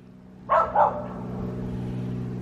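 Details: Reese the dog barking at cars on 29 January 2024: a quick double bark, loud and sharp, then the low drone of a passing vehicle continuing underneath.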